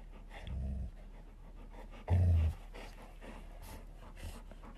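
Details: Two golden retriever siblings fighting over a ball give two short, low rumbling growls, one brief and one louder and longer, between soft panting and faint rustling.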